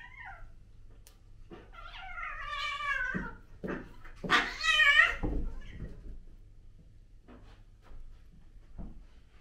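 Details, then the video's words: Domestic cats, a British Shorthair male kitten named Prince with adult males Tom (black and white) and Mimi (white and ginger), filmed indoors on a DJI Osmo Pocket 2; drawn-out wavering meows and a loud rising-falling meow, then quieter short calls. "Kitten Vs Older Cat"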